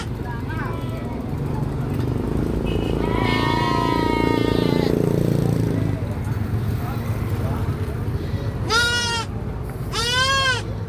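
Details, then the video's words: After a stretch of low rumbling and one drawn-out, steady bleat, two sharp, high, quavering goat screams ring out close together near the end. "GOATS SCREAMING"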